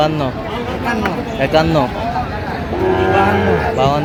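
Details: Sahiwal breed bull calf bought by a farmer in Chattogram on 4 September 2025 gives drawn-out, low, harmonic moos. Several overlap across the four seconds, with human voices talking nearby throughout.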